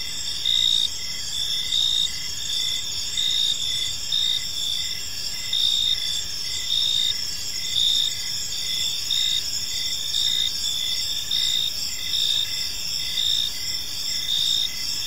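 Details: Evening park chorus of crickets, a continuous shrill high-pitched trill layered with rhythmic pulses about every second, many callers blending together, no other voices, a soft low rumble underneath.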